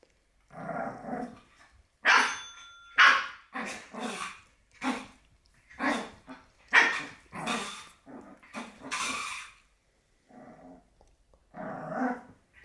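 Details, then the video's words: Black Shih Tzu puppy barking and growling at a bell, short rough yaps in uneven bursts roughly once a second, with a brief bell ring near the start and quiet gaps between volleys. "black Shih Tzu puppy VS Bell"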